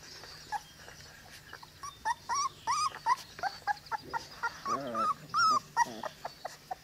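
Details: Litter of 22-day-old Cane Corso puppies, already wormed and microchipped, making repeated high, bent whines and squeaky yelps, several overlapping, roughly two to three per second, over low steady hum.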